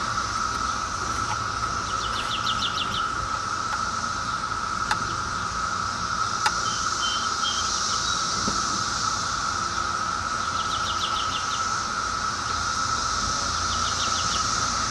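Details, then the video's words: Brood X periodical cicadas, 2004 brood, close up: a continuous level buzzing drone fills the clip, with brief bird chirps and a few faint clicks over it. "Cicadas BROOD X"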